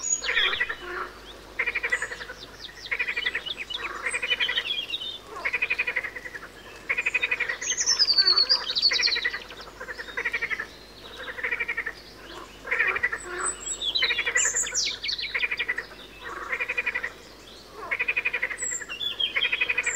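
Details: Frog calling in a relaxing nature recording: rattling, pulsed croaks in bursts about a second long, repeated steadily with short gaps, while birds chirp and whistle higher above.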